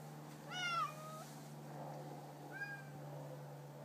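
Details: Bengal cats, 18 months old, indoors: a clear, rising then falling meow, followed after a pause by a shorter, softer second meow, over a steady low hum.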